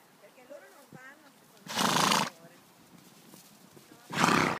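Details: Appaloosa horse with a short wavering vocal note, then two loud, rough, breathy blows or snorts about two seconds apart, each lasting around half a second.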